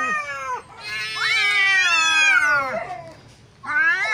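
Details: Two neighbour cats fighting until separated: a long loud rising-and-falling yowl, a quiet gap, then another sharp wail starting up.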